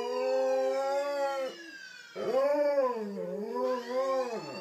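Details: Male Alaskan Malamute howling whenever he hears sirens: a long, held howl breaks off, then resumes with wavering rises and falls in pitch, rich in overtones, with a siren faintly audible in the background.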